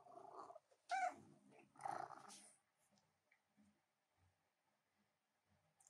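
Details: Female cat interrupting work at the keyboard indoors: a short harmonic meow near the one-second mark, flanked by softer murmuring sounds, then quiet room with a few faint clicks.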